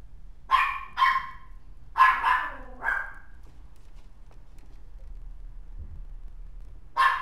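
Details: A white-and-tan mixed-breed dog barking in bursts: two quick barks, a cluster of three more, then a pause and one final bark near the end.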